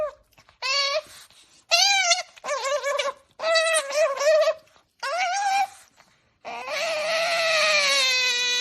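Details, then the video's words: Otter named Qoo making happy noises while eating her favourite meal: a run of high, harmonic squeals in short bursts, each wavering and slightly falling, ending in a longer, strained squeal; indoor room. "Princess otter Qoo makes happy noise while eating her favourite meal"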